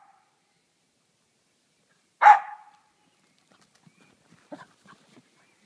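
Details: One of two dogs, an 8-month-old husky/corgi mix named Chloe or a 2-year-old short-legged Jack Russell terrier, playing ball and keep away: a single sharp, loud bark, followed by faint patters and taps.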